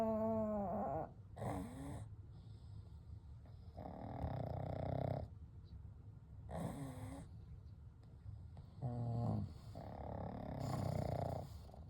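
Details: Kou, Gen and Shun, three pugs sleeping together at night, snore in a steady run of rough inhale and exhale bursts, several with a nasal buzzing quality, repeating roughly every two seconds.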